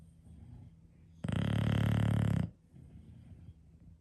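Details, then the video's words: English Bulldog snoring, one of five bulldogs in a home: a single loud, low, fluttering snore lasting about a second, with rapid rattling pulses, rising out of quiet breathing and fading back to soft background rumble. "Those Famous Bulldog Snores"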